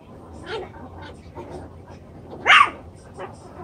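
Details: Playful seven-week-old chocolate brown Toy Poodle puppies in their enlarged pen give a few scattered soft yips, then one sharp, loud high yelp, followed by a fainter squeak.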